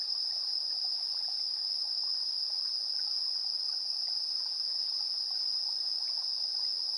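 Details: Insect sounds at 7:04 PM on 3 September 2022, TASCAM Portacapture X8: a sustained high, even trill without pauses, with faint irregular lower chirping beneath it.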